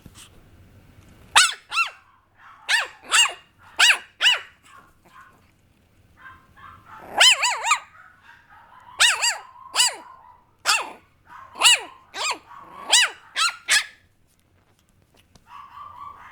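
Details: Papillon puppy yapping in quick runs of sharp, high barks, sometimes doubled, for about twelve seconds with short gaps, then quieter whimpering at the end.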